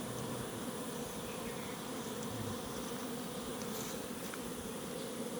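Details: Honey bees fighting inside a crowded hive box that has run out of food. A dense, steady, droning buzz of many bees fills the whole stretch without pause.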